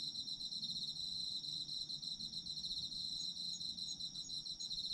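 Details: Autumn insects chirping for sleep ambience, a dense high trilling chorus that pulses steadily and continuously through the whole stretch with no pauses, layered bands of shrill ringing tones, faint low rumble underneath.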